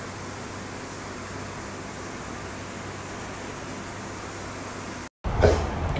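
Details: Steady broadband hiss like an air conditioner fills the room, cut by a brief silence and a short burst of louder noise near the end, with no animal sound.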